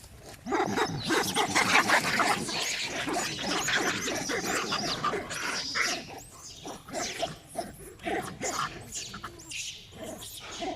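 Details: Monkey crying very loudly, described as bird-like, during a fight between two monkey groups. Dense, harsh, overlapping cries fill about ten seconds, strongest early on and fading in bursts toward the end.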